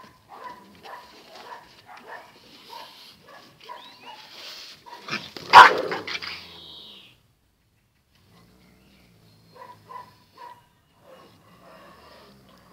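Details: Zion and Tyson, two dogs locked in their fierce daily fight, trade a run of short throaty growling pulses about twice a second. One sharp loud bark follows, then a silent gap and a few more quiet growls.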